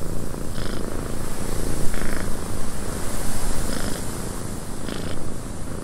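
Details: Domestic cat purring inside a windy cabin, a continuous low rumbling throb swelling and easing in steady cycles, with a few brief scratchy bursts higher up and a constant airy wind hiss over everything.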